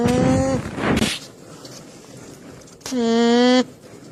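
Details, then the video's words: Alpaca with a short steady hum, then a breathy burst and a pause, followed by a second level nasal tone lasting under a second. "ALPACA SOUND EFFECT 알파카 울음소리"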